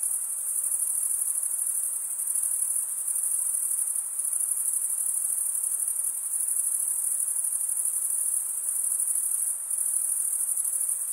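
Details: A steady chorus of chirping crickets, produced by male wing stridulation, rings on high and even, with only a few brief dips in intensity over eleven seconds.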